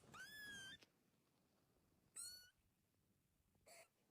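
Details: Baby kitten giving two thin, high-pitched meows that slide upward, one at the start and another about two seconds later, then a short breathy squeak; quiet indoor background otherwise.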